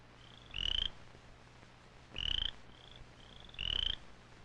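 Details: Small cricket frog calling with a puffed-up vocal sac that makes the voice carry far, from a 1959-60 amphibian film: three high, clicking, slightly rising trills, roughly every one and a half seconds, over steady hiss.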